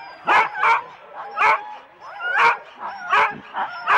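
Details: Husky sled dogs in four-dog teams at the start, Rendlesham, January 2016, recorded on analogue cassette: loud, clipped barks and yips in separate bursts, roughly one every second, over a quieter background of other dogs.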